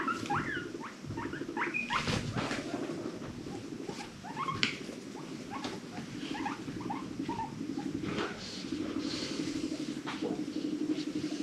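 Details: Female pet guinea pig in a loud, noisy mood, giving rapid bursts of short chirping squeaks and clicks over a steady low rumbling purr, with scattered rustling throughout.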